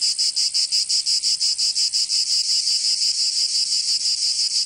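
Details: Provence cicadas in summer, south of France: a shrill, metallic buzz pulsing quickly and evenly at first, then smoothing into an almost unbroken drone.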